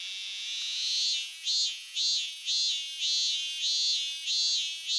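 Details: Robust cicada singing in Japan, recorded between spring and summer 2023. A high, buzzy drone swells into a steady series of pulsing notes, repeated about every 0.6 seconds, with no other clear sounds.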